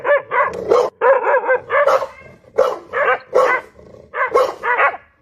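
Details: A single dog barks loudly and steadily, around eleven full, ringing barks in just over five seconds, each short and punchy with tiny gaps between.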